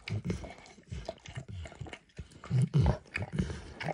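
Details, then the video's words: Emperor Max, a dog, licks a bumpy orange mat spread with eggs and later diluted peanut oil, indoors; irregular wet, slurping lapping bursts with soft clicks, louder around the third second. "ASMR Dog Licking"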